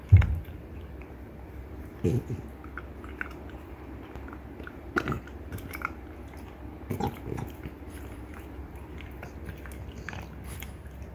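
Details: Deer antler gnawed by a pair of female French Bulldogs, Ume aged 3 and her 18-month-old daughter Roku; dull heavy thuds, then clustered hard clacks spaced a few seconds apart over quiet grinding.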